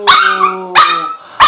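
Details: A female Chihuahua "sings" in drawn-out, tonal howls, each starting with a sharp onset and then holding steady.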